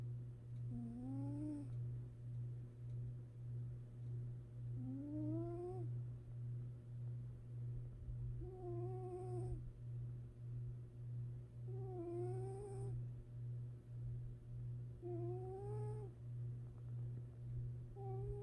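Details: Domestic cat asleep, giving gentle snores. Five whistled, upward-curving breath sounds repeat roughly every three and a half seconds in an even rhythm, with a steady low hum throughout.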